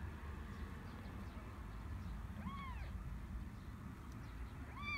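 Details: Kittens born to a stray cat in a garden; two thin, arching meows rise and fall, the second cut off at the end, over a steady low rumble of background noise.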